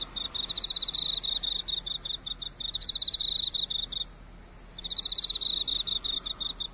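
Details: Emma field cricket by a local drugstore's lights, chirping in repeated bursts of rapid metallic pulses separated by short gaps, accompanied by an unbroken high-pitched hum.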